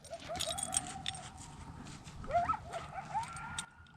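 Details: Coyotes howl in the distance at night near a lakeside camp cove at Lake Mead, Nevada, wavering tones broken by high, quick yips; possibly fighting.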